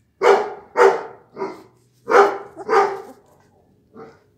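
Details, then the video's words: Blue pit bull puppies from Raven's litter on day twenty-four: a rapid pair of harsh barks, a smaller yip, another close pair of barks, then one faint trailing yip. "pitbull blue cachorros hijos de raven"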